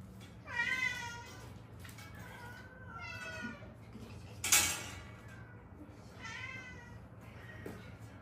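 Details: Stray cat from Haeundae, one of a rescued mother and daughter later fostered, whose accident-broken bones had hardened in place. Three drawn-out, wavering meows spaced a few seconds apart, a sharp click between the second and third, low room hum throughout.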